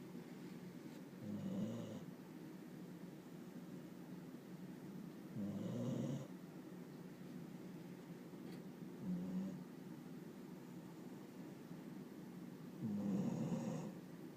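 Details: A dog named Riki, asleep and habitually snoring like an old man, produces four low rasping snores at uneven gaps of about three to four seconds, with faint soft clicks in a quiet room.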